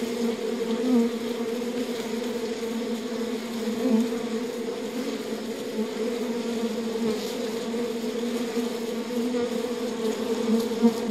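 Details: Honey bees inside a hive keep up a continuous low buzzing drone, two stacked humming tones holding steady, with small surges of loudness now and then and nothing else heard.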